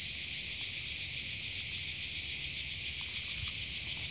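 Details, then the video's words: Cicada noise in a forest in Croatia: a shrill, rasping buzz with a quick rhythmic throb, roughly three to four pulses a second, continuous over the whole stretch. "Cicada (Cicala) in Croatia"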